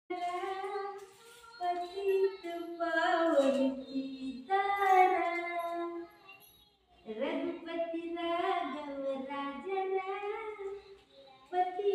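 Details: A woman and a child sing and speak indoors in a lively, melodic back-and-forth, with short pauses between phrases; no animal sound is heard.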